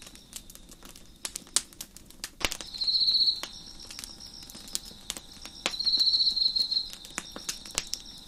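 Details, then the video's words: Crickets on a deck beside a crackling fire: two louder, high, buzzy trills of about a second each stand over a faint steady background chorus, with sharp wood crackles and pops scattered throughout. "Crickets Chirping in the Background"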